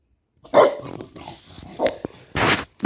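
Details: A Patterdale Terrier playing with an egg toy lets out a short, sharp bark, then a second clipped bark just over a second later, followed by a burst of scraping, rustling noise.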